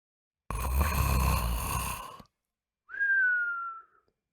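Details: Pet dog snoring while sleeping at night, a loud rough rumbling snore lasting nearly two seconds, followed after a pause by a thin whistling breath that slides gently downward.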